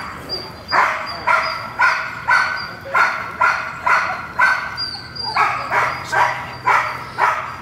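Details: Gold, a female dog in protection training facing a new decoy, barks steadily, about two sharp, full barks a second in a regular series, with a faint high whistle-like tone in the background.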